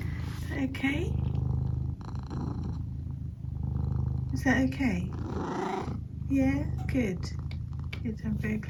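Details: Pet cat purring steadily with a low rumbling pulse throughout, a few short chirping mrrp sounds rising over it, while a person talks softly to the cat nearby.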